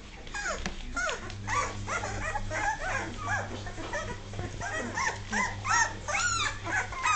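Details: Two-and-a-half-week-old Dogue de Bordeaux pups, top heavy and learning to walk, whine continuously in rapid, irregular arched squeals and yips, several voices at once, with a faint low hum behind.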